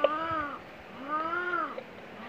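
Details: Female cat in heat giving mating calls: two drawn-out, tonal meowing yowls, each arching up and then sliding down, with a short pause between them.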